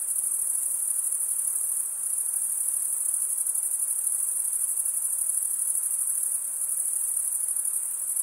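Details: Crickets stridulating, with males drawing one wing across the serrated vein of the other, giving a smooth, unbroken high trill at a nearly flat volume and no other animals, voices or music.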